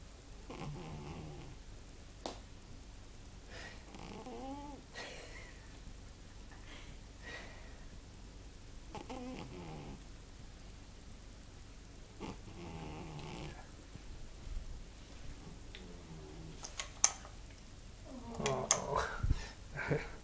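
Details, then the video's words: Daisy, a fat cat, snoozing in a room and snoring loudly enough to make watching a film hard: rasping, rising snores every two to three seconds, with a few clicks and louder bursts near the end. "Snoring fatty cat"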